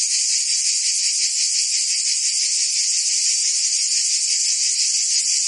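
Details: Summer chorus of cicadas in Provence, southern France, a shrill unbroken buzz made of rapid pulses, constant and loud from start to finish, with nothing else clearly heard.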